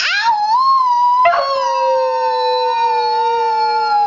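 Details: Husky mix Max sings a rising howl, then a second, lower steady tone sounds together with a higher wavering one, forming a two-part drawn-out howl that lasts to the end.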